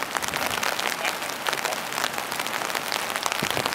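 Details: Dense broadband patter like rain or clapping fills the short stretch, with faint voices underneath and no animal call.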